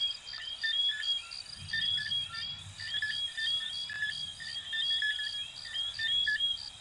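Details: Coquí frogs from Venezuela and Puerto Rico calling in a dense chorus, short high chirps and upward-sweeping whistled notes overlapping about once a second, with a faint low rumble underneath.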